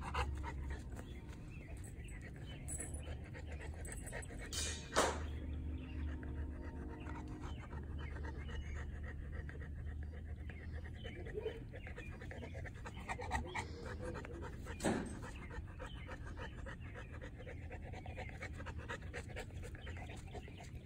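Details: Three-year-old female North American Mastiff, a foundation dog of the breed, recorded April 2019: steady low panting under a constant hum, with a couple of sharp clicks.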